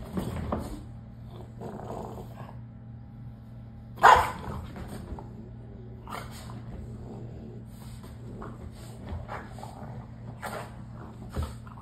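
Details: French Bulldogs playing at home while the owner is away: scattered short barks, snorts and growly grunts over a steady low household hum.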